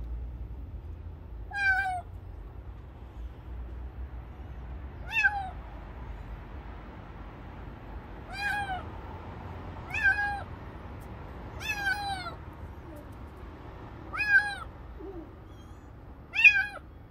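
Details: Street kitten crying outdoors: seven short, high, arched meows spaced one to three seconds apart, clear over faint low background hum.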